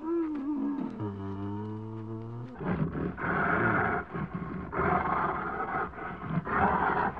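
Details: Bear starting with a low, steady, moaning tone, then breaking into repeated harsh, broad roars in pulsing bursts.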